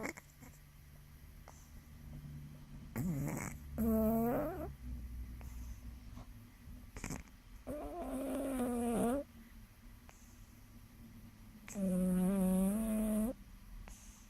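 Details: Jasmine, a sleeping six-pound, seven-month-old kitten, snoring: three drawn-out buzzy, harmonic snores a few seconds apart, each lasting over a second with a slight rising pitch, separated by quiet room hiss.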